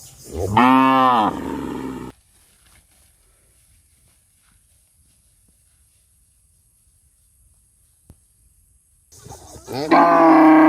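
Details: In a village, cows running because they are afraid to be alone give loud, drawn-out moos, calling out in distress at being left alone.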